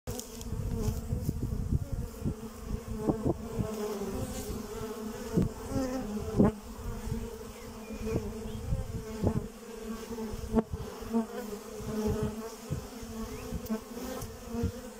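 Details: Honey bees working at their hive hum in a steady, low drone, with close buzzing passes and soft ticks.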